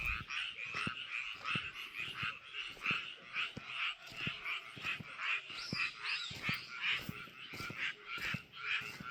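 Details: Frogs calling from a rice paddy: continuous overlapping chorus of rough, pulsing croaks, rising and falling in loudness every second or so, with scattered sharp clicks.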